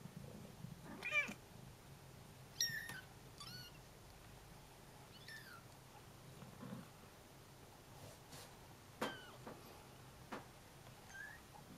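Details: Baby Bengal kittens give high, thin mews at irregular intervals, calling their mother, who is away on a short walk; she hears them and answers.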